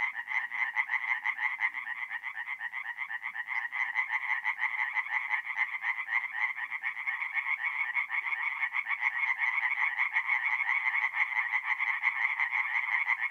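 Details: Night chorus of tree frogs at a forest pond, north-east Italy, mid-April: a dense, unbroken wall of rapid rasping pulses from many overlapping callers, steady in loudness throughout and free of other noises.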